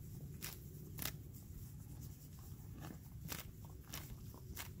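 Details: A sorrel gelding grazing in a green pasture on a spring day makes sharp crunching bites and tears grass over a low outdoor rumble.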